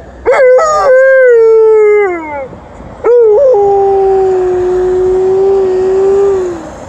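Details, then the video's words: A female Alaskan Malamute howls in two long, wavering notes, answering a passing ambulance siren on an emergency run. "Alaskan Malamute is howling to the ambulance"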